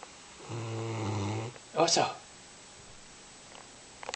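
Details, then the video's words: Oso, a puppy drying off after a rainy day, snores in one low rattling breath of about a second, then a brief burst of human speech and a few faint clicks indoors. "Snoring wet puppy"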